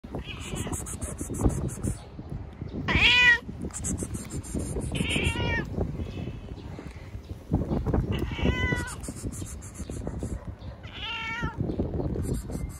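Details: Hungry stray cat meowing persistently to be fed: four loud, drawn-out, rising-then-falling meows spaced roughly every two to three seconds, over a constant low rumble with bursts of faint high-pitched chattering sound between calls.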